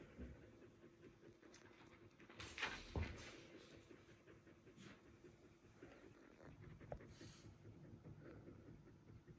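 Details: One-day-old Border Collie puppies from the litter of Kiss and Kobi; soft snuffling and shuffling throughout, broken by a brief high rising squeak about a third of the way in, with a few fainter squeaks later.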